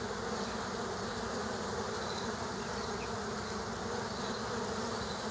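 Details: At an underground bee nest, killer hornets clash with bees. A constant low, whirring buzz fills the whole clip without pause.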